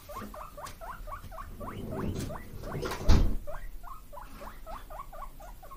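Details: Pet guinea pigs Kotaro and Kinako, brothers born 31 March 2022, squealing for vegetable snacks in rapid strings of rising whistled squeaks, briefly broken by a loud thump and rustling midway.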